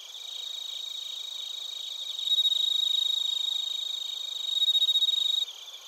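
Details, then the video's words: Crickets and bell crickets recorded in Narita, Chiba, Japan with a TASCAM Portacapture X8; a close, sustained ringing trill swells louder midway and holds for about three seconds over rapid pulsed chirps before abruptly dropping back. "スズムシとコオロギの鳴き声 - Chirping of crickets"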